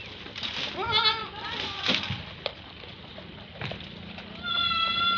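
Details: Angry goats fighting on a goat farm: a couple of short, strained bleats, then thuds and scuffling, and a loud, sustained bleat at the end.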